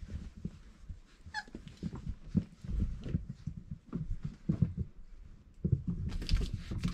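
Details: Indoors with a litter of Irish Setter puppies aged four weeks, one short high whimper rises and falls early on. Soft scuffling, pawing and thumps fill the rest, with a burst of rustling near the end.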